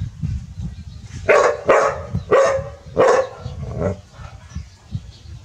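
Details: Village dogs Pao and Rank barking seriously at a snake; four loud, sharp barks in quick succession around the middle, then quieter rumbling background noise.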